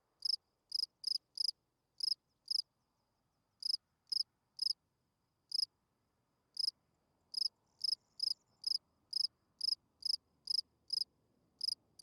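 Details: At night a field cricket sings bright, high chirps in rapid runs, pausing briefly before resuming at a quicker, even pace; faint low rumble late on.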